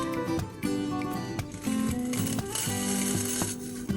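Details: Music with sustained tones and a steady beat plays throughout. No animal sounds are present.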